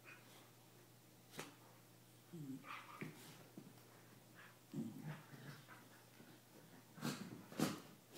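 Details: Pair of corgis playing and necking inside a small room, giving low throaty grunts and growly murmurs between huffing breaths, irregular and close, with a couple of sharp louder snorts.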